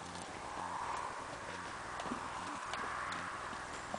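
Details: Muffled cantering hoofbeats of a Tennessee Walking Horse moving in its natural rocking chair canter, dull rhythmic thuds under a constant hiss of outdoor noise.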